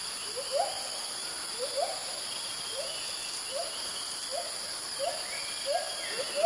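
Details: A white-handed gibbon, one of a group, calls profusely in early morning in Kaeng Krachan National Park, Thailand, while moving between branches, giving a series of short, rising hoots, quickening slightly, over a steady insect hum.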